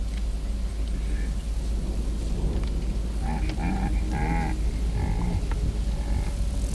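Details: Baboon in Kruger National Park, a huge male protecting his troop from an intruder baboon: about five short, harmonic, barking calls in quick succession from the third second on, over a steady low engine rumble.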